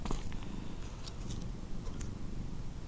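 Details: Low continuous rumbling purr from a drowsy male house cat, roused from sleep and nodding off again, drooling with tongue out; steady throughout with scattered faint clicks and no clear speech.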